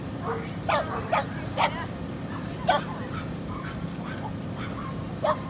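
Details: Female Corgi puppy recorded in Inage, Chiba, Japan, on 23 February 2019, giving short, sharp high yaps in an irregular series, about five barks with gaps between, over a steady low hum and murmur of background noise.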